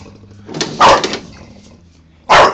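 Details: Honey, a pet Bulldog, barks while getting mad at a lawnmower: two short, harsh broadband barks spaced about a second and a half apart, with a low steady hum underneath.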